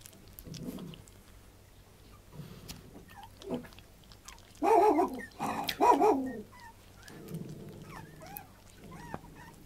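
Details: A puppy gives two loud bursts of wavering, whining cries midway, with quieter low grumbles before and a few short squeaks after, over a faint steady hum.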